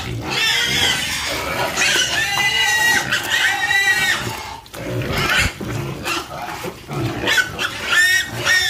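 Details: Squealing farm pigs produce repeated piercing, arching cries, several clustered in the first four seconds, then a short lull and a fresh burst of squeals at the end.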